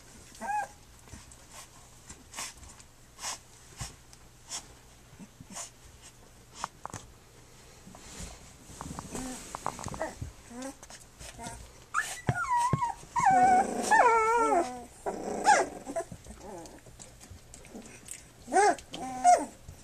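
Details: Three-week-old puppies of Flute nursing and playing: soft clicking and suckling noises at first, then rising and falling whiny squeals that come in short wavering bursts during the second half.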